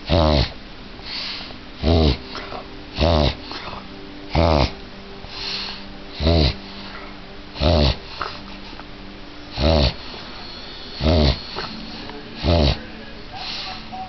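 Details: A female French Bulldog repeatedly clearing her throat, something she does often, in a small room: about a dozen short, gruff snorting honks with a buzzy pulsed quality, coming every second or so with softer sniffs and breathing in between.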